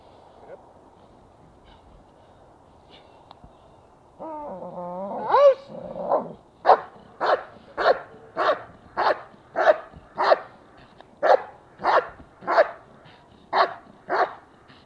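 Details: German Shepherd, obedient and protective: a wavering harmonic whine gives way to a long steady run of about fifteen loud barks, spaced just over half a second apart, over low background hum.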